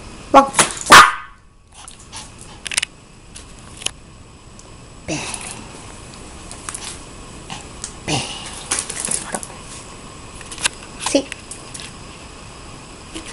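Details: A Maltese named Mimosa, a pet dog indoors, gives one sharp, loud bark at the start. Quieter taps and clicks follow while a person calls the dog over.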